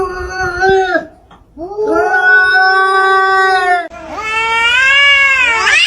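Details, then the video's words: Two pet cats in a comical argument trading drawn-out meows: three long harmonic wails, each holding a steady pitch before bending, the last climbing sharply upward at its end, with short quiet gaps between. "Two Cats Swearing?! 😂🐱 Funniest Cat Argument Ever!"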